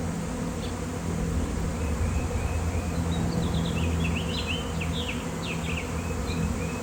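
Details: Thousands of honeybees swarming near an electric line on a fine-weather day, with a beekeeper on hand: a steady, low droning hum throughout, while bursts of small bird chirps sound faintly above.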